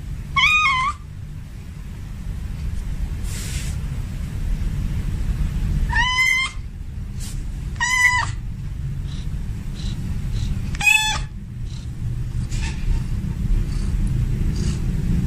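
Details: Male domestic cat in heat calling for a female, giving loud drawn-out meows with a falling pitch at about 0, 6, 8 and 11 seconds, the calls separated by quiet gaps over a steady low rumbling background.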